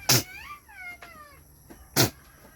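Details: Domestic goat during kidding, one of several goats giving birth, this doe having a single male kid; two short wavering bleats rise then fall, set between two sharp loud knocks, with faint background hiss.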